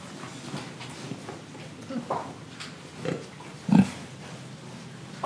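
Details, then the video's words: Pig in Indonesia giving a few low, short oinking grunts amid soft breathing and rustling, with one louder grunt near the end. "Pig Sound Effects Oink Oink, Breathing & Eating"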